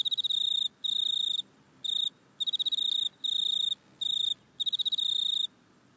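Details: Grasshopper in a back yard, recorded on an iPhone: a steady run of shrill, even-pitched chirping bursts, each about half a second long, alternating with short silences.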